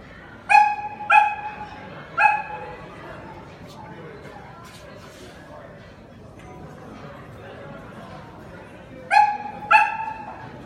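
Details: Samoyed indoors at Chișinău airport barking in short bursts: three sharp barks, a quiet gap filled with murmuring voices and hall noise, then two more barks near the end.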